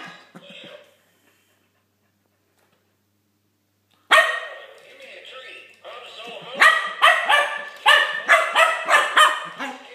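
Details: Keeshond puppy reacting to a Halloween skeleton, giving a quick series of yappy barks in the second half after near silence, with a voice-like sound at the start.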